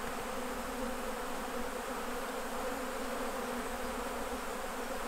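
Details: Steady droning of many honey bees around hives at honey harvest time, a constant low hum with stacked overtones and a broad rushing texture, unchanging across the whole stretch.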